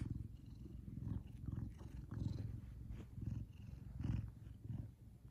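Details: Contented purring of Kumba, a big male Savannah cat, when happy: a heavy, deep rumble pulsing in clear surges about once a second, each breath audibly louder, then softening.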